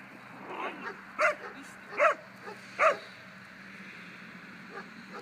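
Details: Two-year-old German Pinscher in protection training, giving three loud, sharp barks spaced under a second apart, with fainter yips between them over a steady background hum.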